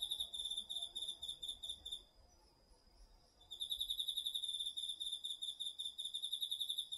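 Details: Night chorus of autumn insects including crickets in a garden field, recorded with a DR-40X; high rapid pulsed trilling breaks off for about a second and a half, then resumes strongly and continues.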